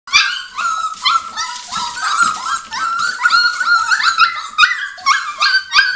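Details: Five-week-old Border Collie puppies from the Arttulan litter calling together in a steady chorus of high, overlapping yips and whining squeals, many short rising and falling cries layered with no pause.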